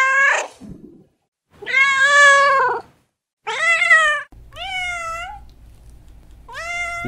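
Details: A cat's loud series of meows: a brief falling cry, a long strong wavering meow, a short harsh one, then two rising-falling calls with a low hum in the background.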